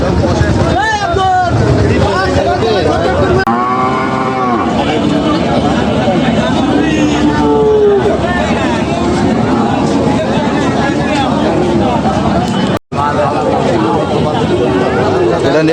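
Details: Cattle at a livestock market during buying and selling. Several low, drawn-out moos rise and fall in pitch, some long and wavering. They come over constant bargaining talk about prices, crowd chatter and passing vehicle noise.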